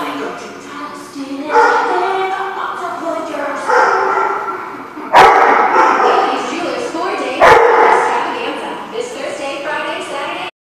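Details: Dogs recorded on 14 December 2015, giving loud harmonic barks and yips in bursts, several overlapping, with two sharp knocks and a steady roar throughout.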